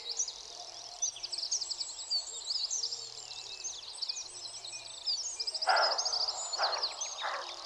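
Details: A roe deer gives a few hoarse, harsh alarm barks directed at the recordist, against a busy chorus of songbirds; a mono recording.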